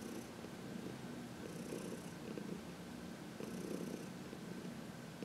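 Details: Heidi, a 14-year-old senior cat adopted from the Humane Society of New York City, purrs contentedly while massaged in the sun on March 19, 2021; a steady low rumble swells in breathy waves roughly every two seconds.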